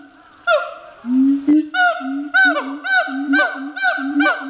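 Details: Siamang in a zoo enclosure at Chiba City Zoological Park, Japan, barking vigorously: a low rising hoot, then a steady series of loud, ringing barks that sweep downward in pitch, repeated about twice per second.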